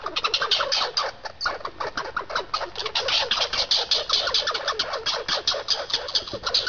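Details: Squirrel pair squabbling over seeds: fast, scratchy chatter of closely spaced clicks and brief squeaks, pulsing unevenly in loudness from start to finish, with no other animals or background noise standing out.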